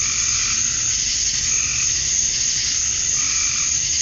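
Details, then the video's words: Georgia summer dusk, male cicadas chirping to attract mates: a shrill continuous buzz dominates, over a quieter lower layer of rapid, irregular pulsing calls. "Cicadas at Dusk, Summer Night"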